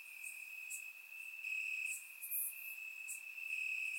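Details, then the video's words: Crickets chirping in grass on a warm summer night in Bulgaria, captured with a surround microphone: a steady high trilling band runs throughout, with brighter pulsing bursts from nearer insects swelling and fading every second or so. "Cricket Sounds - Crickets Chirping at Night"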